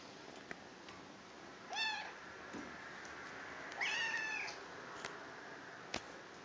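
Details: Domestic cat up for adoption indoors, giving two clear arched meows about two seconds apart, each with a rising then falling harmonic tone, over a steady background hiss with a few sharp clicks.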